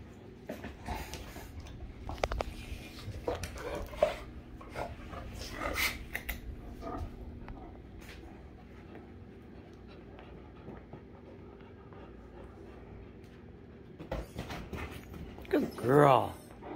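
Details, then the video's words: Rhapsody and The Heartbreaker, two affectionate Great Danes, breathe and shuffle quietly for a long stretch before a rising, harmonic whining groan breaks out at the very end amid louder rustling. "Great Dane Love Like That"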